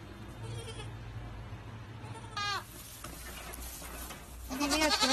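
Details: Goat kids: one short, wavering bleat near the middle, then a higher, harmonically rich bleat at the end, over a steady low background hum.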